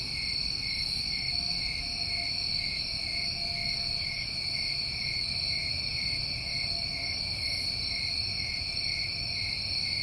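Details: New England summertime crickets in a dense, unbroken chorus: steady high trilling layered in several pitches, with no pauses and no other clear sounds.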